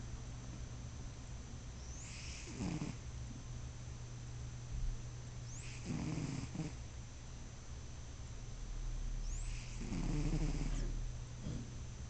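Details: Domestic cat snoring while asleep: slow, rough, breathy snores about every four seconds with a low hum running underneath throughout.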